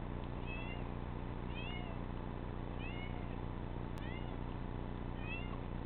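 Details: Domestic cat meowing five times in under six seconds, each a short upward-bending then falling mew, repeated at a fairly steady pace over a loud low rumbling hum.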